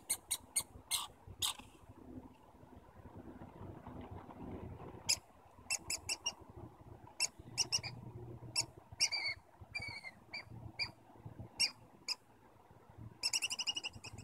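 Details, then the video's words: Squirrels in Stanley Park trading high, sharp squeaks and chirps in irregular series, some in quick runs, ending with a buzzy chatter burst, over low background rumble. "Stanley Park Squirrels Communicating"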